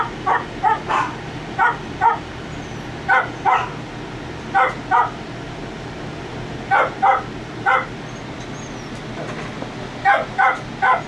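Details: Two 3.5-week-old puppies just starting to walk, giving short high yips and squeaky calls in quick pairs and triplets, scattered across the recording over a faint steady background hum.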